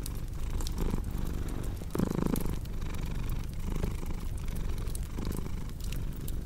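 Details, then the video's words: Purring cat with a crackling fireplace: deep vibrating rumble swelling on each breath about once a second, a louder buzzy inhale near the middle, with light wood crackles in the background. "Purring Cat with Cozy Crackling Fireplace Sound"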